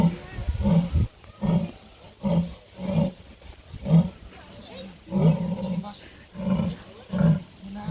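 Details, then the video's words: Captive jaguar at Artis zoo giving a series of deep, hoarse grunts, about one every 0.7 seconds, each a short rasping pulse, nine in a row with brief gaps. "Jaguar Rica maakt geluid / making sound in Artis"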